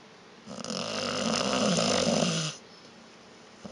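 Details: One long, loud snore from Vita, a sleeping dog, lasting about two seconds, a rough rattling drone with a low vibrating base, fading into quiet room tone.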